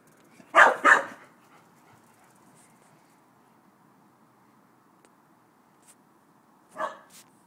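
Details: Chow Chow directing barks at the dog next door: two loud, close-spaced harsh barks, then about five seconds of near silence before one more bark near the end.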